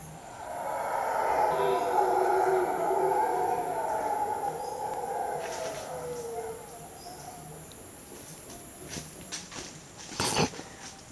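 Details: Monkeys in the jungle at Sapzurra, Colombia, give a deep, rushing, roar-like chorus that swells and then fades away.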